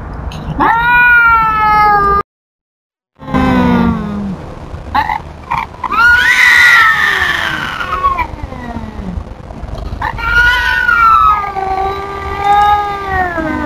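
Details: Tubs, a feral cat, telling off an intruding cat: long wavering yowls with stacked harmonics, a brief silent gap, then rising and falling drawn-out wails and a sliding lower moan.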